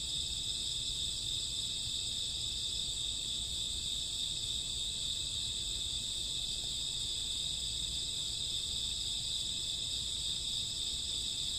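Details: Crickets and grassworms on a summer or autumn night, a dense steady high-pitched trilling chorus of many insects that blends into a continuous shimmering drone with no pauses, a faint low rumble underneath.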